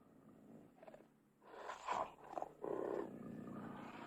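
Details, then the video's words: Cougar snarling and roaring: a low, rough, breathy growl swelling in short bursts after a quiet start, with harsher snarls in the middle and a sustained grating roar near the end. "Cougar Snarling Roaring"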